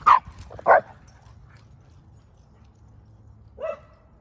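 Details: Two pet dogs, a Boston Terrier and a Keeshond, jousting in play; two sharp high yipping barks in quick succession, then about three seconds of near quiet before a single shorter bark, over low background hum.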